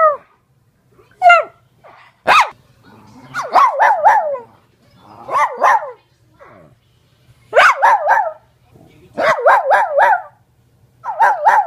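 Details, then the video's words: Cairn Terrier barking: sharp, high yappy barks in quick bursts of three to five, separated by short pauses, with a few higher yelping notes at the start. "Cairn Terrier that loves to bark"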